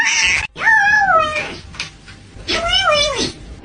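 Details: Pet cat giving two drawn-out meows indoors, each rising then falling in pitch, about two seconds apart, with a person's voice just before.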